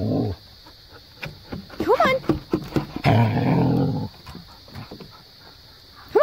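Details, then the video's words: Maya, a pet Siberian husky, vocalizes at Jo, an Australian cattle dog, telling her to get off the play set: a low rumbling start, then quick rising-and-falling yowls, a rough grumbling stretch, and a final rising whine. "Siberian husky telling Australian cattle Dog to get down!"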